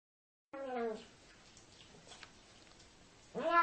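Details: Siamese cat giving two drawn-out meows, the first sliding downward and the second rising sharply, separated by a near-silent pause.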